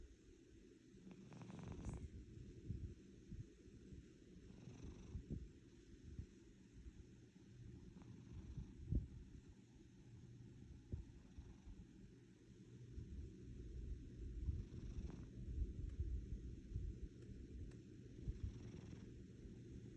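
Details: Domestic cat giving a deep engine-like purr, continuous and gravelly, rising and falling gently over twenty seconds with a few faint clicks and rustles.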